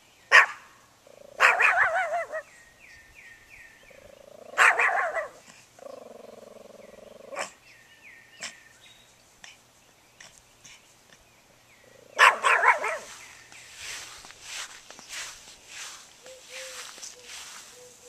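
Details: Pet dog Banjo barks at the lawnmower in bursts: a single bark, then a rapid cluster, another bark, and a later flurry. Steady droning tones and mechanical noise fill the gaps between.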